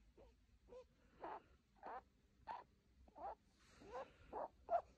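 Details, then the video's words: Pet female rabbit purring gently, a soft series of short breathy pulses repeated about every half second, quiet and close, with no other sounds. "bunny is purring"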